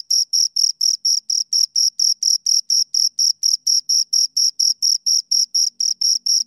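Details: Two crickets stridulating close to the ear, producing a continuous rhythmic series of high, bright chirps about twice per second, with a faint low hum near the end.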